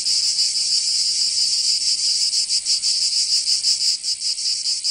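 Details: Cicadas in summer in Provence, southern France, a sustained high buzzing whose pulsing becomes uneven and wavering toward the end.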